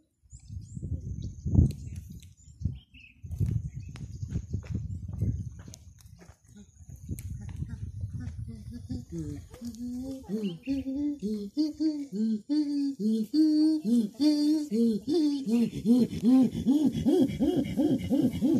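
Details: Chimpanzees at Olpejeta: after speech and handling noise, a series of hooting calls begins, climbing in pitch and getting faster and louder toward the end.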